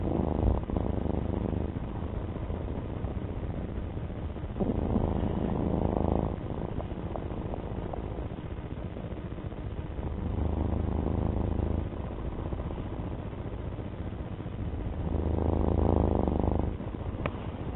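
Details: Low rumbling purr from Alfie, a domestic cat, pulsing steadily and swelling in longer breath cycles about every five seconds, with no other notable sounds.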